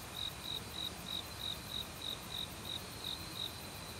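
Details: Crisp, high cricket chirps in an autumn forest, repeated about three times a second in a clean, regular rhythm, against a soft hiss of background noise.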